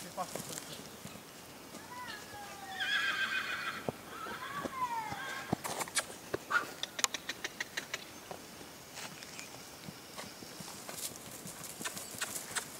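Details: Purebred Lusitano horse at a stud farm gives a harmonic, quavering whinny that rises and then falls away over about three seconds. Sharp hoof clip-clops and human speech follow.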